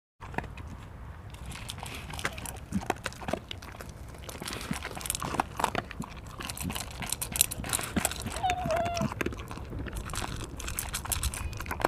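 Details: Pet dog named Mungchi eating its meal: dense, irregular crunching and chewing clicks about four per second, with soft human speech and a brief whine-like tone in the background.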